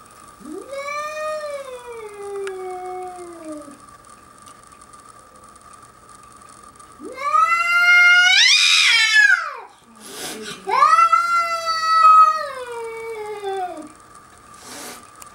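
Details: Caterwauling house cat confronting a young bobcat on the deck of Cedar Springs Bed and Breakfast, Whistler: three long moaning wails, the middle one harsh and strained, with a brief hiss between, over a constant faint hum.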